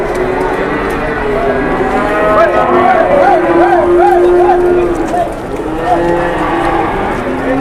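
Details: Cow in Indonesia that fell down suddenly and later became aggressive: a long wavering moo with a steady low tone and a warbling upper part, lasting several seconds, with murmuring people behind.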